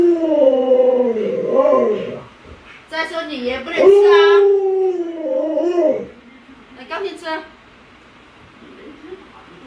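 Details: Pet Alaskan Malamute Lolo, provoked indoors by a pretend dog-meat hotpot, answers with a run of wavering, talkative howl-like woos, some sliding and quavering, then a short burst near the end, with a person speaking between them.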